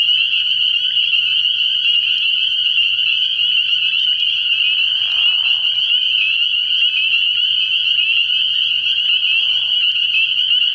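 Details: Nighttime frog-pond chorus of spring peepers early in the year, a constant piercing blend of countless high peeps, joined by faint lower trilling bursts near five and nine seconds.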